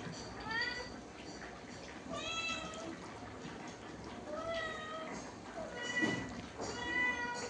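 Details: Domestic cat meowing repeatedly, four drawn-out, slightly falling meows spaced about two seconds apart, with Bengali speech and soft background music throughout.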